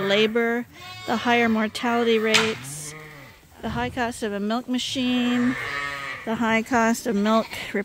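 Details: Several bottle-fed lambs, still with their mothers but topped up twice daily from a hand-made bottle feeder on a farm, bleating in quick succession: wavering, nasal cries overlapping one another, some short, others drawn out and quavering.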